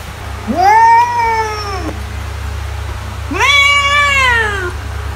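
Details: Two separate meows from a domestic cat, each starting low, swelling into a held wavering tone and sliding down at the end, with quiet low hum in the background.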